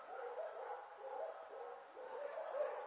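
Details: Border Collie puppies, about six weeks old, exploring ferns on 5 January 2013; soft, wavering whimpers and small yips run continuously at a low level.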